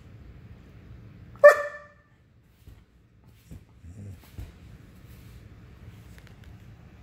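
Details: German Shepherd barking because it wants to play: one sharp, loud single bark, followed by near silence with a few faint soft thumps and shuffles.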